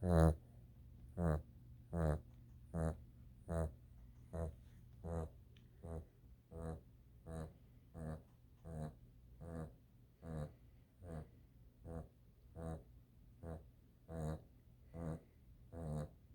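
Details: Sleeping dog snoring softly: short throaty rasps recur roughly every 0.8 seconds across the stretch, some louder than others, over a faint low hum.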